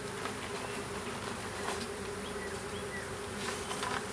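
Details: Small swarm of western honey bees being hived in a privet hedge thicket in south Alabama on 12 April 2014; steady dense buzzing hum with a continuous low drone throughout, faint brief chirps from other birds in the background.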